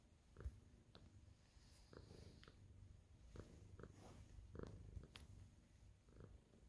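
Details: A happy senior female tabby cat, kneading while greeting its owner indoors, recorded on 27 April 2023, purrs in a soft, low, continuous rumble that swells and fades with each breath, with occasional light rustles and taps.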